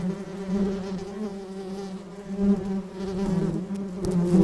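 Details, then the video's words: Bee buzzing in flight, a softer low hum with harmonics whose loudness pulses unevenly, rising again in the final second. "Flying Bee Sound Effect"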